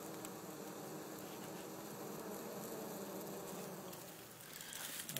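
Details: Honey bees entering a second opening in a church wall in Jacksonville, Florida, before the colony is cut out and smoked; a continuous, even hum of many bees, with faint ticking patter throughout.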